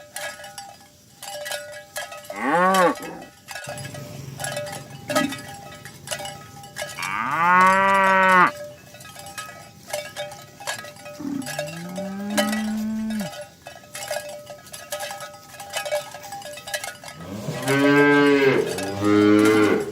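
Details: Morning herd of tame village cows being driven to the pen, giving four separate moos spaced several seconds apart, some short and some long and rich, with cowbells clanking continuously throughout.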